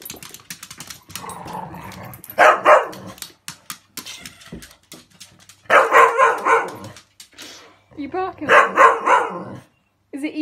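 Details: Cocker Spaniels barking at a lint roller held by their owner indoors; loud, harsh bark bursts come in clusters around three, six and nine seconds, with a woman talking to the dogs between barks.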